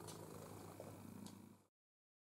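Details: Pepper, a playful, food-loving pet cat, indoors while learning to use an interactive ball feeder; a low, steady, rumbling purr with a fine pulsing texture, continuous and close, ending abruptly after under two seconds.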